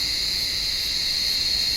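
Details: A brief burst of cicada calling from an olive tree on a warm evening: a constant, shrill, metallic whine holding steady from start to finish.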